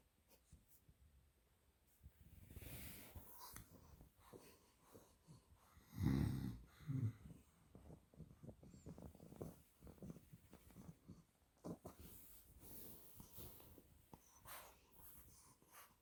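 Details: A 2-month-old female Olde English Bulldogge puppy, an exotic blue merle tri, snores while sleeping in deep, rumbling, uneven breaths with occasional louder snorts.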